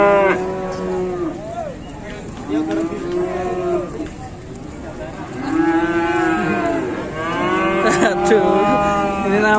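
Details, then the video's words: Fierce cattle in Indonesia making a racket: several long, loud lowing moos with rich harmonic tones that bend up and down, coming in three or four drawn-out bouts over about ten seconds. "SAPI GALAK BIKIN RIBUT"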